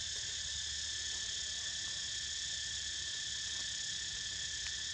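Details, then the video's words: Continuous shrill cicada chorus heard as Niko sleeps, a flat buzzing whine in several stacked high tones that never pauses, with soft low rumble underneath. "Snoozing To The Sound Of CICADAS"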